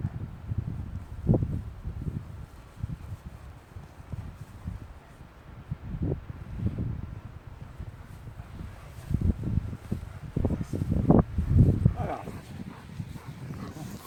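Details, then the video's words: Leonberger dog named Aslan guarding a new toy he claims as his own; low, rumbling growls come in irregular bursts, loudest near the end, over steady wind noise and rustling. "Leonberger dog Aslan - "got a new toy and it`s MINE MINE MINE""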